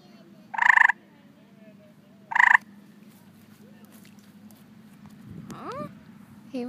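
A tree frog gives two loud, harsh chirps about two seconds apart, calling for a mate.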